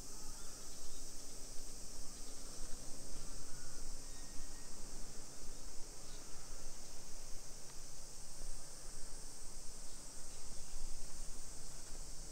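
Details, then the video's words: Cicadas singing in summer, 1 PM, 28 July 2021, in a hillside housing area of Nisshin, Aichi, Japan: one flat, sizzling wall of high sound runs throughout, with faint low-pitched town noise beneath. "Summer Cicadas Sounds"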